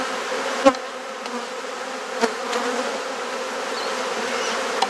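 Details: Even, low drone of many honey bees at an open hive in a Perth garden in Australia, under inspection, punctuated by occasional sharp clicks as frames are handled.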